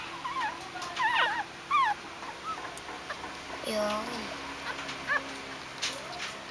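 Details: Newborn Shih Tzu and Pomeranian crossbreed puppies, hungry and pushing their way to nurse, giving thin high whines and squeaky rising-falling whimpers in short bursts, with a person speaking softly in the background.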